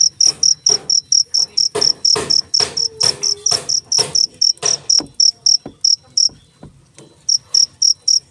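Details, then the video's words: Cricket chirping in a steady high-pitched pulse, about four short chirps per second, with dull broadband knocks and taps overlapping most chirps and a brief pause in the chirping near the end. "suara jangkrik"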